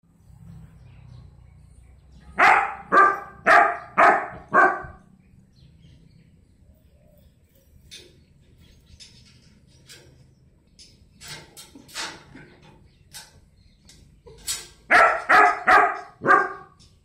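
A four-month-old German Shepherd puppy gives short runs of sharp, slightly yelping barks, several in quick succession. Quieter scuffles and a few softer yips fill the pauses between bursts.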